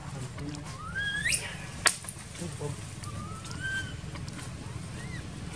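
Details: Baby monkey crying while its mother ignores it, in an archaeological park; thin whistled cries rise sharply then level off, several spaced calls over a rough low rumble of background noise.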